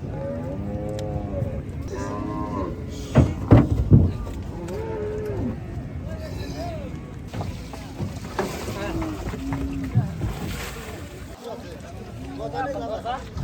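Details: Gaiya cattle, among the biggest cows, at a cattle farm during unloading; several deep moos with rich harmonics, some rising and falling, repeated across the recording over low rumbling background noise.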